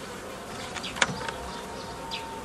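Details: Honey bees humming while a beekeeper forms nucleus colonies the old way from a previously made forager swarm, 15 May 2018; a steady dense drone with sharp clicks and knocks from hive work around the one-second mark.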